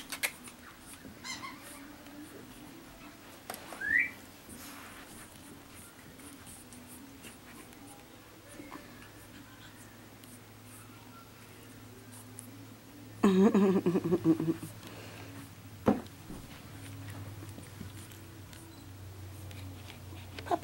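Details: Pekingese puppies from Belle and Sundance's litter, indoors. A thin rising whine appears early on, then a louder, harmonic, yelping cry burst lasts under a second. A steady low hum and soft rustling run underneath.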